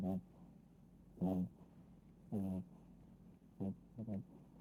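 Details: Sleeping Chihuahua snores in a quiet room: five rough, rattling snorts, each under half a second, some doubled, spaced about a second apart.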